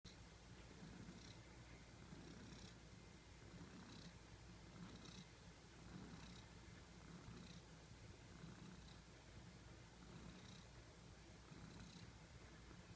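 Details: A cute domestic cat snoring while asleep: a continuous low rumbling purr with soft breathy bursts recurring roughly every one to one and a half seconds, recorded quietly indoors.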